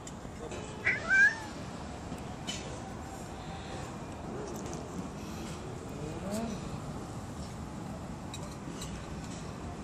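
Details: Cats, little and big, with a single short rising-falling meow near the start, then a steady low background hum with faint clicks and rustles.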